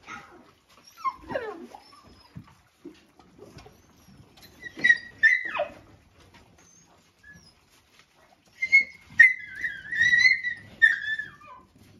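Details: A female dog is attacked by a male dog while she is eating. The clip has high, thin whimpers and falling yelps, some drawn out and wavering. Brief pauses separate the bursts, with faint rustling between them.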